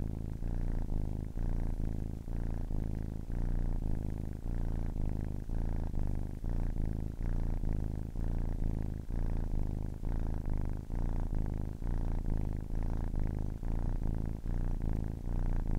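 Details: A ten-week-old kitten keeps up a loud, even purr, a low vibrating hum with rhythmic breath pulses close together throughout, steady and uninterrupted.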